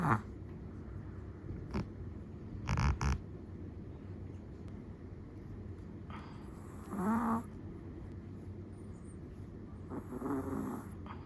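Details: Chihuahua sleeping with soft, intermittent snores: a few faint snuffles early, then a clearer rasping snore about two-thirds through and a weaker one near the end, long quiet gaps between.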